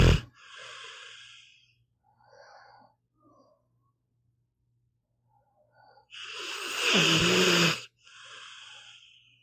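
A sleeping pit bull snores with airy, wheezing breaths and one loud, rattling snort.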